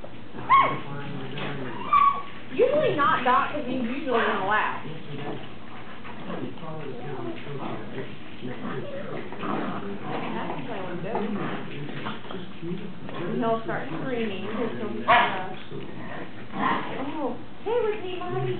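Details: Greyhound pups, ten weeks old, at play with their mother, giving thin rising whines, squeaky yips and sharp yelps in irregular bursts, roughly forty a minute, while people chat and laugh nearby.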